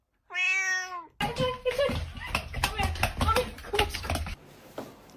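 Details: Domestic cat with one clear drawn-out meow at the start, followed by a burst of human talking and laughter, with a few brief cat-like squeaks mixed into the voices.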